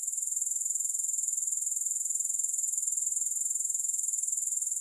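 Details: Unbroken high, sizzling trill of grasshoppers, pulsing quickly and very regularly at a steady volume throughout, with no music or other noise.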